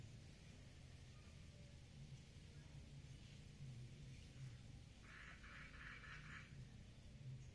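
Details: Frogs mating in a water lily pond give one pulsed, rattling call of about a second and a half, made of rapid even clicks, over a steady low rumble.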